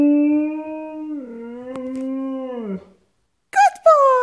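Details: A one-and-a-half-year-old Siberian Husky vocalising at a squeaking toy: a long, steady howl that drops partway through and fades out, a short pause, then two brief sharp yips.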